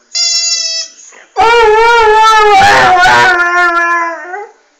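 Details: Singing Airedale Terrier Delta, a steady high whine first, then after a brief pause a long, wavering, tremulous howl of about three seconds that slowly descends and fades out.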